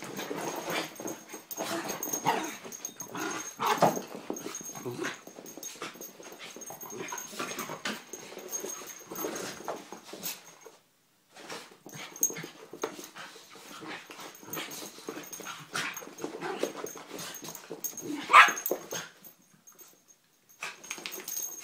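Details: Poppy, Jazz and Max, three terriers, keep up irregular snuffling, whining and soft growling noises for about ten seconds. A short hush follows, then more scattered breathy bursts and one sharp squeak, over a thin constant high hum.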